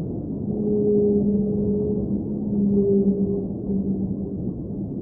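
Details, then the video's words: Whale song recorded underwater: two parallel sustained hums, a low one and a higher one, holding for several seconds, breaking and returning, set against a dense murmuring underwater background. "Underwater Whale Sounds - Ambient Soundscape | Whale Singing"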